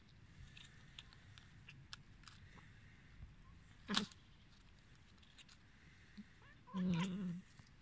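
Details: Hungry abandoned cats calling over a low steady background rumble: a sharp brief cry near four seconds, then a longer wavering meow near the end.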